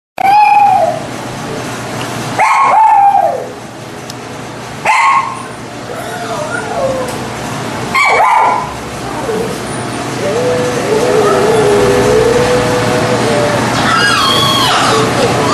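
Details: A Lhasa Apso gives sharp, high barks spaced a few seconds apart, followed by a drawn-out whine.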